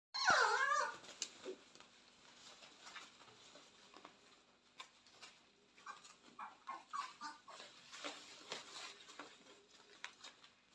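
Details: Purebred Cane Corso puppies born 18 October 2022 and raised indoors, whimpering: one loud rising-and-falling whine at the start, then a string of softer short whines and squeaks every second or so in a small room.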